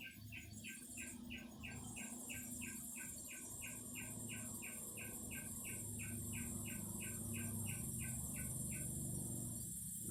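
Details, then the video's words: Singing cicadas: a steady, high, hissing drone sets in after the first second and holds to the end. A regular pulsed chirping, about three beats per second, runs beneath it over a low background rumble. "Singing cicadas."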